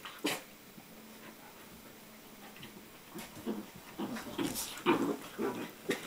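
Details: Border Collie puppies aged five months and ten weeks at play indoors on a day bed, December; scattered high yips and whimpers in quick irregular bursts, growing busier toward the end, with faint room noise.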